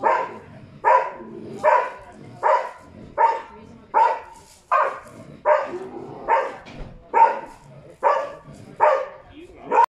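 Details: A Karelian Bear Dog gives loud, steady barks, about one each second, baying at a mechanical bear during a bear-dog test in Tornio, Finland, on 28 June 2019.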